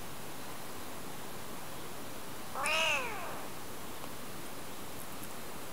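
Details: Kitten under one month old, crying as it follows a person and climbs into their palm, filmed in spring in Japan; a single high, arching meow lasting under a second over steady background hiss.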